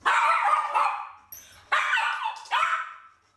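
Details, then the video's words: One-year-old Bichon living in an apartment building, whose repeated barking disturbs the neighbours; three loud, rough barks, each long and falling, spaced about a second apart. "car dans l'immeuble, les aboiements répétés de nounours dérangent aussi les voisin."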